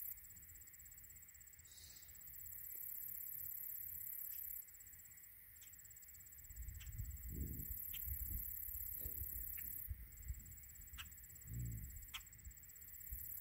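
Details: American bison cows and calves, a herd of 125 cow-calf pairs in the Gravel Pit herd, being moved after rain onto tame pasture before winter; low grunts come in scattered bursts, several close together midway, over steady high insect-like tones and faint clicks.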